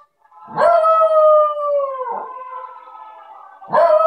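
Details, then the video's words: Havanese dog howling along to the carol In the bleak mid winter: one sustained, rich howl lasting about three seconds, holding pitch then sliding lower, before a fresh howl begins at the end. "Fergus sings In the bleak mid winter"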